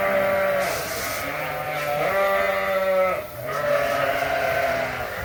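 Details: A group of Suffolk lambs, running loose together in a barn after a gate was left open, give drawn-out, quavering bleats. Several voices overlap, and the calls hold steady for about a second at a time.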